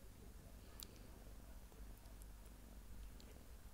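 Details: A small, sweet domestic cat purring steadily: a low, continuous rumbling throb with fine rapid pulses, even in loudness throughout, and a few faint high clicks near the start in a quiet room.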